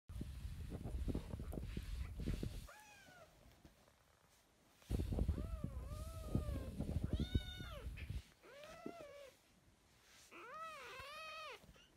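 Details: Young kitten sisters taken into foster care in spring 2017 give a run of short, bending meows in quick succession, some rising then falling, after a stretch of low rustling and handling noise.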